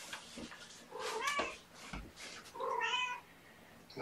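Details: Young kittens at a morning bottle feeding with syringe formula, indoors: two clear, thin meows, the second longer and slightly rising, with a soft voice speaking in the background.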